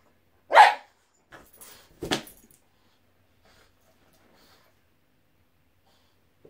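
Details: Boston Terrier named Boston, playing with a balloon, gives one loud, sharp mid-pitched bark, then soft scuffling and a crisp broadband smack about a second and a half later, followed by near silence.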